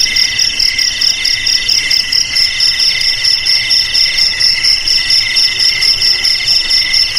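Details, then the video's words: Crickets chirp in rapid, ringing high pulses, about two bursts every second, layered voices overlapping steadily; played as a traditional remedy to frighten rats away. "Suara JANGKRIK"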